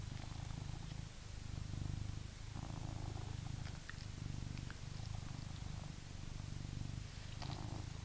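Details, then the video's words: Purring British Shorthair cat, reacting to a vacuum cleaner: continuous deep rumbling purr broken into long inhale and exhale phases about every one and a half to two seconds, with a few faint higher ticks over the drone. "British Shorthair Cats React To Vacuum Cleaner"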